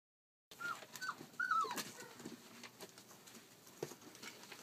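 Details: Collie puppy, 34 days old, filmed on 29 July 2012, giving a few short, high, sliding whimpers within the first two seconds, followed by soft scuffling and patter indoors.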